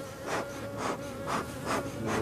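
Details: Honey bees from a laying-worker (drone-laying) hive in France, their frames being handled at the apiary: a dense, steady buzzing hum with a sustained tone, swelling in broad surges roughly every half second.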